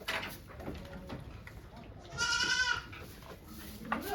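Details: Goat on a farm in Japan on 3 May 2023, during the birth of two kids with volunteers watching; a single sustained, wavering bleat mid-clip amid faint background noise and murmuring.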